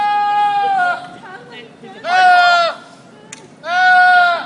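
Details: Screaming goat giving three loud, human-like screaming bleats, each drawn out and level in pitch, separated by short quiet gaps.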